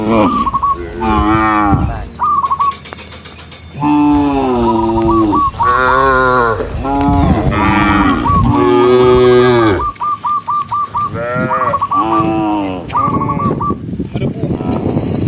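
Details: Tame cows herded through the countryside among dozens of large cattle, mooing repeatedly in long, low, groaning calls that overlap and follow one another closely, with short repeated whistled bird notes sounding through the pauses.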